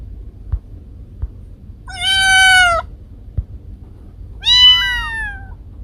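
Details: Domestic cats Kiko and Koko: two loud meows about two seconds apart, the first long and level, the second wavering up and then down in pitch, with a few soft knocks between them.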